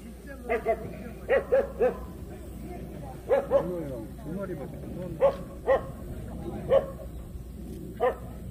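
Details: Jindo dog at the 66th Korea best Jindo dog contest, young female class, barking sharply in short pairs and singles, about a dozen barks over eight seconds, against a steady background of crowd chatter.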